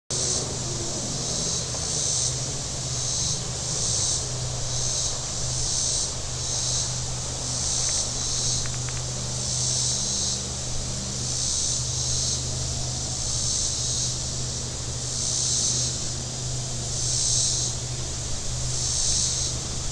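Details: Cicadas on the shore of Table Rock Lake, southern Missouri, on a very warm Saturday: a high, hissing buzz that swells and fades in pulses about every second and a half, over a steady low hum of boat engines.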